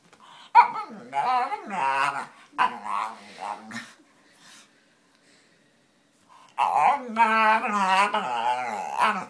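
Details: Pet dog making funny noises, a run of wavering, harmonic whine-groans with rising and falling pitch, a silent gap of about two seconds, then a long, sustained warbling moan.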